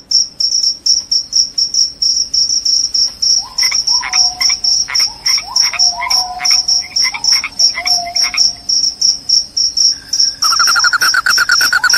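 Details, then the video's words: Cricket calling, claimed to keep rats away and cause drowsiness: a rapid run of high chirps, joined midway by lower clicks and brief falling tones, then by a buzzing pulsed trill at the end. "SUARA JANGKRIK PENGUSIR TIKUS, JANGKRIK JANGKRIK SUARA NYARING BIKIN NGANTUK."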